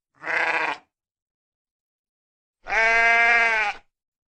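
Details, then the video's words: A short sheep baa, then after a long pause a drawn-out, steady, clear bleat lasting over a second. "koyun sesi"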